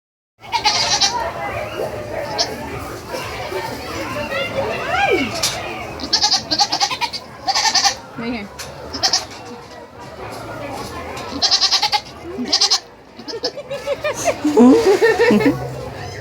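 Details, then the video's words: Goats at a state fair bleat in wavering, nasal cries over a busy crowd of talking people and children. "Goats making cute sounds at the state fair"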